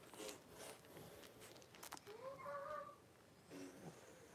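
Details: Indoor puppy pen with mother Paris and five Blenheim Cavalier King Charles Spaniel puppies born at New Year's, January 26, 2023. One drawn-out, clear whine rises and then holds steady for about a second, with faint rustles and clicks before and after.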